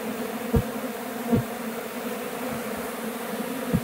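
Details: Honey bee swarm in flight near a hive box after a bee removal; soft steady hum of many wings, broken by a few brief louder buzzes of passing bees.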